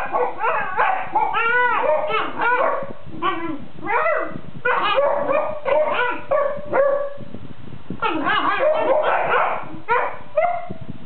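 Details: Sleeping Basset Hounds grumble back and forth at each other, producing a run of mixed moans, whimpers and short bark-like yelps with wavering, arching pitch, voices overlapping with brief pauses between bursts.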